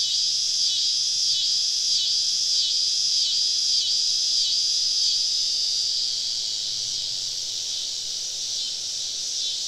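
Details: Summer evening cicada chorus deep in southern woods during a camping trip, cicadas on all sides: shrill buzzing wall of sound swelling in regular pulses for several seconds, then settling into a smoother, even drone.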